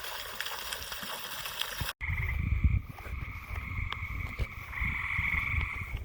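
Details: Frogs calling at night. The first two seconds hold only rumbling background noise. After an abrupt cut, a steady, fast-pulsed trilling chorus with a high buzzy tone starts over low rumbling.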